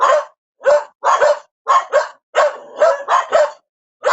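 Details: Rapid dog barks, several drawn out and rough, clustered in groups of two or three with short pauses, nothing else audible.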